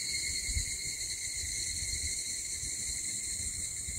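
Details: Cicadas sing a steady, high, shimmering drone without a break, recorded on the morning of 6 August around 04:50 in Mihama, Fukui Prefecture, Japan.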